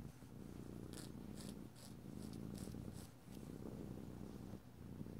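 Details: Domestic cat purring in a small indoor room during nail filing, a deep rumbling purr swelling and easing, with a few soft scraping strokes.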